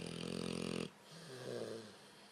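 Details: Overweight blue nose pit bull dog snoring loudly while asleep indoors, a harsh buzzy rattling breath lasting under a second, then quieter breathing.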